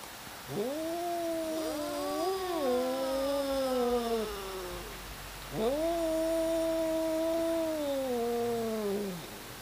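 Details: Fighting domestic cats yowling at one another, two long wavering wails with a strong harmonic stack, the first bending up and down over about four seconds, the second held steady before sliding downward, over a soft hiss.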